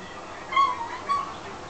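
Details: Domestic cat asking for food after her people ate dessert without her. She gives two short, thin meows about half a second apart, against a quiet indoor background, with people talking nearby.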